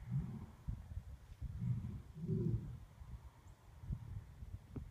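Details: Lions at Turpentine Creek Wildlife Refuge give deep, rumbling roars and grunts that pulse low and heavy, a few seconds apart, on a Saturday, 26 December.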